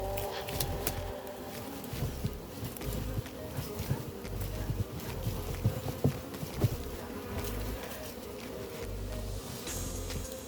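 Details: Massive honey bee hive being collected, its barrel just cut open to reveal combs: continuous deep droning hum of many bees, with sharp knocks and rustling from the work around it.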